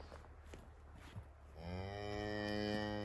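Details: Highland cattle calf, one day old, following its mother in forest on a farm in Finland, 29 October 2022, iPhone 11: after soft footsteps and rustling, a long harmonic moo begins and swells slightly, still sounding at the end.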